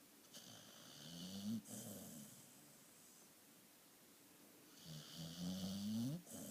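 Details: Sleeping dog Lucy gives a drawn-out rasping snore that slides upward and ends abruptly near 1.6 seconds, followed by quiet breathing, then a longer, louder snore rising in pitch from about 5 to 6.2 seconds, in a quiet small room.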